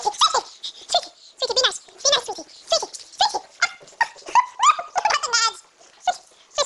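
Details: Pug puppy, a female, biting and attacking her owner, who pleads with her. She gives a dense string of shrill, wavering growls and yips with rising squeaky notes, almost without pause.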